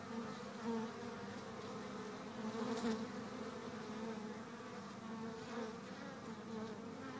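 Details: Honey bee hive activity recorded in April: a continuous dense buzzing drone with steady low hum bands, slight swells in loudness throughout.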